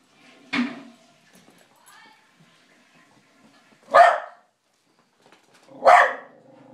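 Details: Charlie, a pet dog, barking at night at his own reflection in a mirror as if at an intruder: three separate sharp barks spaced a couple of seconds apart, with quiet gaps and faint background sound between.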